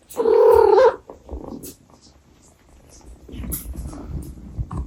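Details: Abyssinian cat mother addressing her kittens: one loud, drawn-out wavering meow lasting nearly a second, followed by quieter murmurs and low background rustling.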